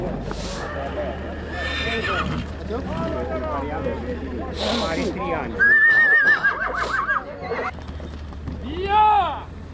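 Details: Stallion at horse traction (pulling) trials in Voitinel. Men talk over it throughout. Then a loud, high, wavering whinny falls in steps over about a second and a half. A shorter whinny follows near the end.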